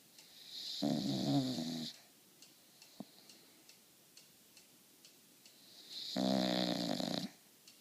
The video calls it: Penny the English Bulldog Snoring